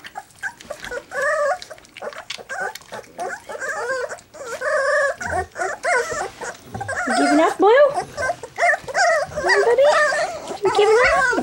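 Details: Three-week-old black English Labrador Retriever puppies having their first taste of goat's milk, whining and squeaking in short rising and wavering whimpers, several overlapping, with a woman talking softly between them.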